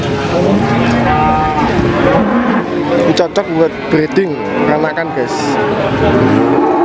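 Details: Cattle lowing at the Pahing cattle market in Warujayeng on 28 November 2019, short wavering moos rising out of a crowded soundscape of people talking, engine noise and clattering.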